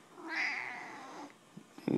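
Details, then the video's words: Young cat learning to meow, progressing from a hesitant "err?" toward a real meow; a single drawn-out, slightly falling mew of about one second, followed by faint rustling and a short clunk at the end. "learns to meow"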